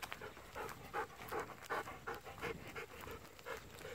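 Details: Golden Retriever panting during an evening walk while begging for unripe persimmons; steady rhythmic huffing breaths, close and clear, nearly three per second, over quiet outdoor background.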